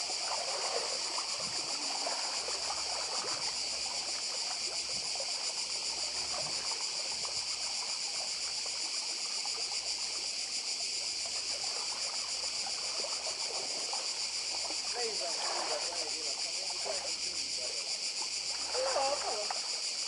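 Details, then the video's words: Cicadas singing on the Croatian island of Badija give a dense, continuous metallic hiss, steady from start to end, with faint waves washing in the background. "Cykady i szum morza w Chorwacji"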